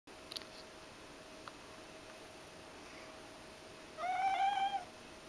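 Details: A hungry Ragdoll cat in the kitchen gives a single drawn-out, slightly rising meow, begging for food.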